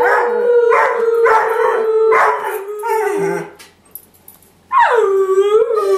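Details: Airedale Terrier indoors, encouraged by its owner to sing: a run of four steady howling notes, a pause with faint noise, then one more rising, wavering howl.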